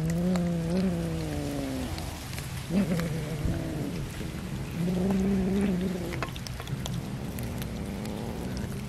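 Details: Cat eating fish, repeated long meows, some rising and falling, three main calls over nine seconds with a faint rain-like hiss and low hum behind.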